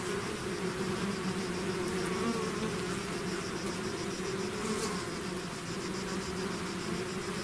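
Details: A honeybee swarm pouring out of its hive, a dense continuous drone of many wingbeats with steady low hum bands and faint higher whine, level throughout with no other sounds.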